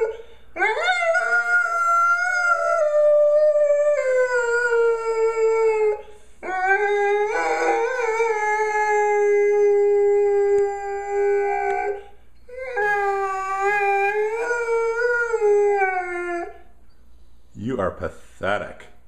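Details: Golden retriever that keeps on howling indoors: three long sustained howls of several seconds each, gently falling in pitch with slight wavers, separated by short gaps, ending with a few brief yips.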